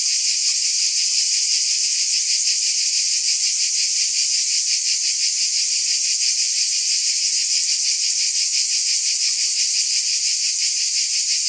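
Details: Steady high-pitched cicada buzzing, a continuous sizzling wall of sound with faint fast throbbing inside it, never pausing, nothing else audible.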